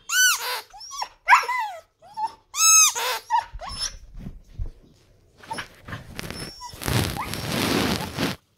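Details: Husky giving a quick series of short, arching harmonic howls and yips over the first three seconds, then softer whines, ending in a burst of broad rustling noise.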